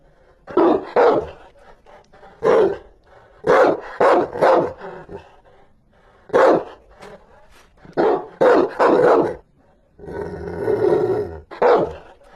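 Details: A Rottweiler barks fiercely in harsh, clustered barks, often two or three in quick succession, ending with a drawn-out rough growl before a final bark.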